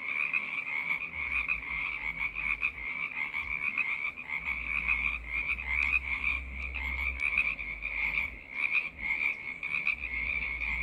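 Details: Frog choir of many callers producing a continuous high trilling chorus, with a low rumbling hum running underneath for much of the stretch.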